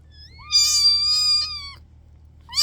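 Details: Kitten meowing: one drawn-out, high, steady meow lasting over a second, starting with a faint squeak and ending abruptly, over a low background hum.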